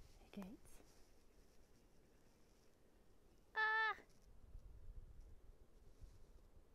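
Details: Cat met in the Swiss Alps in 2021 gives a single short, loud, steady meow with rich overtones about midway, preceded by a brief human voice and otherwise quiet surroundings.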